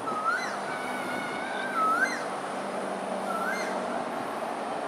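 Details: Lone otter at Pandan River, Singapore, on 28 December 2021 at 6.54 pm: three thin, high, slightly rising whistled squeaks spaced over about five seconds, over a steady background hum.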